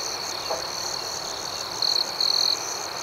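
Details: Crickets at night in an outdoor setting: a steady shrill drone from many insects, then two crisp, high trills in quick succession, each lasting under half a second.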